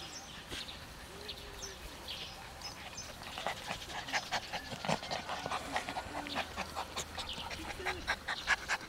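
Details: Siberian Husky puppies playing together at a kennel: quick panting breaths, a few short soft whines, and dense scuffling and clicking noises from their romping, growing busier and louder toward the end.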